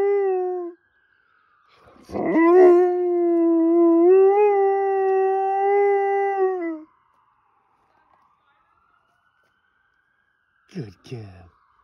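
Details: Female dog howling at a fire truck: the tail of one howl, then a five-second mid-pitched howl with slight waver, followed by a faint rising and falling siren and two short vocal sounds.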